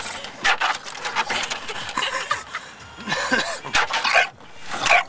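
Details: Bulldog named Tank going for the wipers, giving harsh, broadband barks and growly bursts at an uneven rate, with a brief whiny rising-falling note near the middle, over scraping mechanical noise and a human voice.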